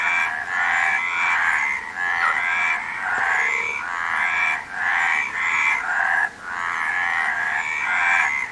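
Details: Frogs calling together in a dense chorus of raspy, pulsing croaks. The bursts run about a second each and are broken by short gaps, with overlapping voices filling the background throughout.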